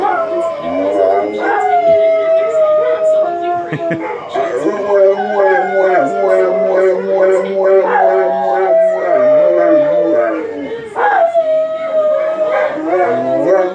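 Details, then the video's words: Two female Cane Corsos and a third dog howling together at home, a habit begun when a passing fire truck siren set them off; long sustained overlapping howls with low steady bass tones and higher wavering voices, briefly breaking off and restarting. "Funny Dogs howling- Cane Corso Sings Bass"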